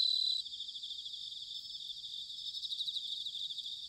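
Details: Autumn bell cricket chorus recorded in Sanuki, Chiba, Japan: a brief loud ringing note at the start, then a steady, dense high-pitched trilling of many insects over faint low background noise.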